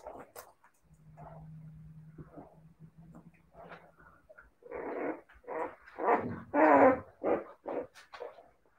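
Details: Siberian Husky puppies: a low steady growl rumbles for several seconds, then gives way to a burst of loud, harsh barks and yaps repeated in quick succession, growing louder toward the end.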